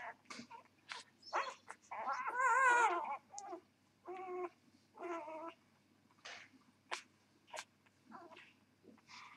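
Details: Newborn puppies from a Vizsla mother and Labrador father squeak while being whelped. Repeated wavering, nasal whines with clear tonal bands and bobbing pitch, longest in the middle, alternate with short sharp squeaks and brief pauses.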